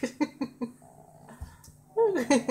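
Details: A 5-month-old British Shorthair cat gives a series of short, throaty pulses, then a wavering, drawn-out growl like a dog.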